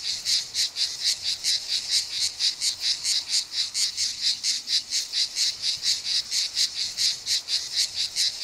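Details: A male grey cicada (Cicada orni) sings at Mecina Bombarón, Andalucia, Spain, on 7 July 2022, giving a steady series of short, rasping clicks, about three each second.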